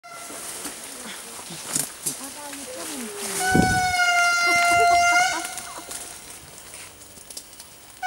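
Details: Wild indri in Andasibe-Mantadia National Park, Madagascar, 2016: a loud, sustained, steady wailing tone held for about two seconds in the middle, with quieter scattered sounds and faint voices around it.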